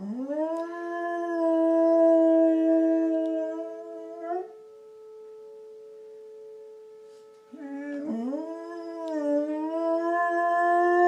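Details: Pet dog howling in response to tornado sirens: two long, sustained, even-pitched howls with rich overtones, the second starting with a wavering rise. A steady siren tone drones beneath throughout, audible alone in the pause between howls.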